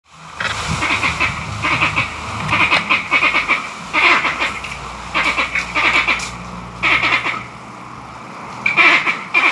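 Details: Angry green monkeys in Barbados, perhaps in a territorial dispute over mango trees or a fight for power within the troop, a sound not heard from them before: bursts of harsh, rapid chattering barks in repeated clusters, some overlapping, with faint low rumble beneath.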